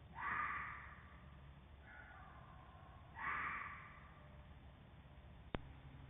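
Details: A fox caught on a trail camera in video mode, with hoarse, raspy, creepy screeches spaced a few seconds apart in the background, followed by a sharp click.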